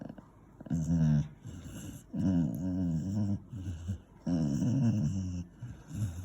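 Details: An 8-year-old male Beagle, having his ears cleaned, gives low, wavering grumbles and moaning growls in three drawn-out bursts.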